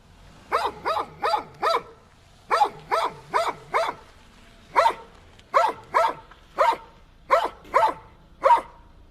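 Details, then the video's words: A dog gives clusters of quick, sharp barks in twos to fours, over a steady low hum in the background. "how dogs bark. dogs sounds"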